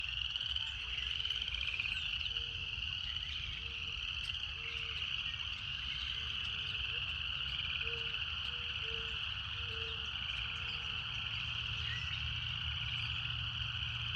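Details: Cicadas in a steady, unbroken high buzzing drone with a fainter lower band, while short soft low notes repeat every second or so beneath it and a deep rumble runs throughout.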